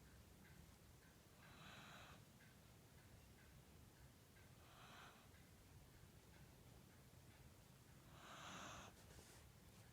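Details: Pet Corgi snoring in its sleep, seemingly mid-dream, in a small room: three wheezy, airy exhalations about three seconds apart, the last one loudest.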